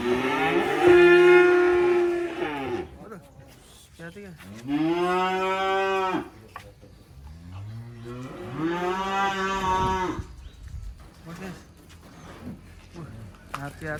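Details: Black sacrificial cattle coming down off a truck: three separate long, harmonic moos spaced several seconds apart, each steady then dropping at the end, with quieter shuffling noise between calls.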